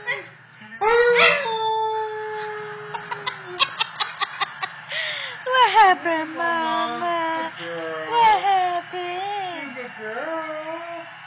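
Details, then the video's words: A young female Pembroke Welsh corgi, near 10 months old, howling as she finds her voice: a long steady note, a run of quick clicking sounds, then warbling howls that bend up and down, with human voices mixed in. "Singing corgi"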